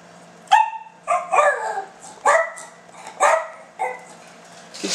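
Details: Silky Terrier indoors asking for food, making short talking-like yips and barks, about five separate harmonic bursts with rising and falling pitch, spaced roughly every second, with a steady low hum underneath.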